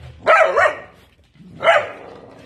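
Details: Nesma, a pet dog, playing with another dog: two sharp, loud barks about a second and a half apart, with a quiet gap between them.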